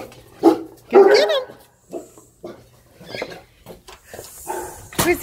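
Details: Two Great Danes greet their owner returning from a long day at work with short, deep barks and whining, wavering yelps while an eager human voice asks where he is.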